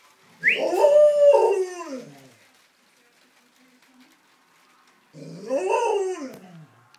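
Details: Nine-week-old puppies give two drawn-out howling whines, the first wavering and sliding down over about two seconds, the second after a pause near five seconds, rising then falling; otherwise quiet.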